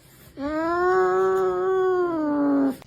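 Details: Domestic cat giving one long, steady meow of about two seconds, evenly pitched with a slight rise and fall, rich in clear harmonics, in a quiet indoor room.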